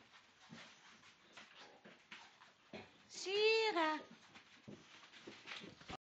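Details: Female Cane Corso indoors with her favourite blanket, giving one loud whine about a second long that rises then falls, set among soft rustling and a person's voice calling nearby.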